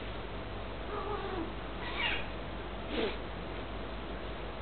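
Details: British cats playing together indoors and seeming to talk: a soft low murmur, then two short bright chirp-like meows about one second apart, with a constant low hum underneath.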